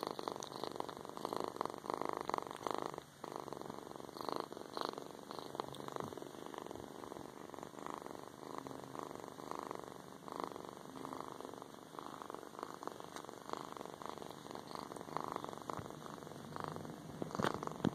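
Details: Purring of MiChi, a little female kitten with a mustache-like marking, recorded indoors soon after her adoption; a steady engine-like rumble with fast regular pulses runs throughout, with no other clear sounds.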